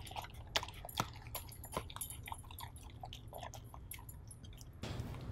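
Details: Siberian husky bitch chewing beef stew indoors, a steady run of soft wet smacks and crisp clicks about twice a second, ending in a louder rustling burst.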